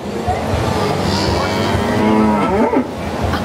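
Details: Cow at a 4H fair mooing after being coaxed, likened to a deer; a drawn-out low moo swelling then bending upward near the end, over steady background rumble and voices.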